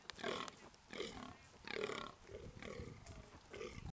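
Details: A fallow deer in Knole Park gives short, harsh, throaty barks, repeated about once a second.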